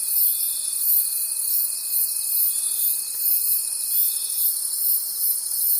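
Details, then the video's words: A chorus of crickets at night in the forest, high and shimmering, beating about three times a second, with a thin steady whine that stops shortly before the end. "Forest Sounds and Cricket Conversations at Night"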